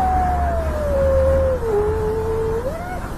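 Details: Street cat encounter between a kitten and its father: one drawn-out meow lasting about three seconds, sliding slowly downward, dipping low, then lifting briefly before ending, with low traffic rumble throughout.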